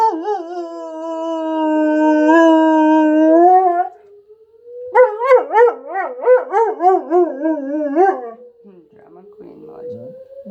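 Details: Dog of the German Shepherd breed howling during a tornado siren drill. A long, level howl breaks off, then a rapid series of rhythmic, wavering yodel-like pulses follows. Sweeping siren tone continues underneath, with faint voices at the end.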